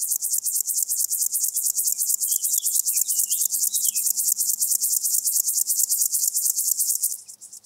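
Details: Chorthippus apricarius, the locomotive grasshopper, recorded at Moosham, Austria, 9 October 2020: a loud, sustained, rasping high buzz of fast regular pulses, holding full strength for about seven seconds and then stopping abruptly, with faint whistles briefly behind.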